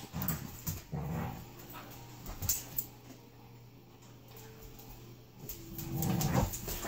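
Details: Dog playing with the neighbour's French mastiff in Auburn, California, around 2015; quiet, low growling grunts and short whimpering bursts come in scattered clusters, loudest near the end, over faint background hiss.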